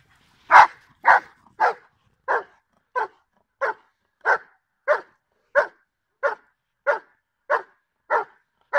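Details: Giant Schnauzer Blackmoore Salazar, recorded in July 2017 during training, barks loudly and steadily, about fourteen sharp, full barks in nine seconds at an even, rapid pace. Nothing else is heard.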